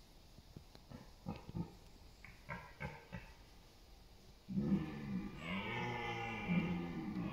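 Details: A red deer stag gives a deep, hoarse rutting roar that swells in and holds for several seconds, competing for dominance and mates in autumn forest and meadows, East Serbia, 28 September.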